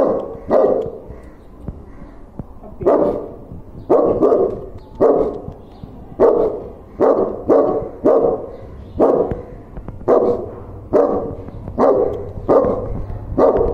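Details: A dog meeting a stranger barks again and again, gruff clipped barks coming in quick runs of two or three, roughly a dozen over fourteen seconds, with short pauses between bursts.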